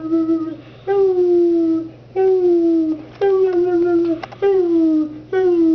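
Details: A pet Chihuahua howls on demand while being led by its owner, giving five drawn-out, slightly falling tones in rich harmonics, each lasting about a second with short gaps between, over a faint low hum indoors.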